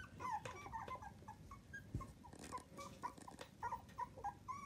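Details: Miniature dachshund puppies, part of a litter of seven from Coco and Chanel, aged between two and 25 days, give short high whimpering squeaks, often in quick pairs, over a soft, low background rumble.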